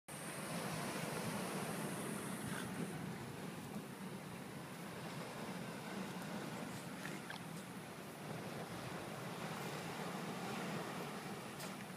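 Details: Steady rushing surf and wind noise on a beach, with no animal voices.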